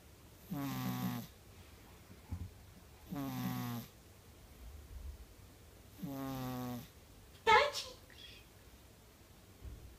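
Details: A napping white female Persian cat snores in low, buzzy rasps that repeat about every three seconds.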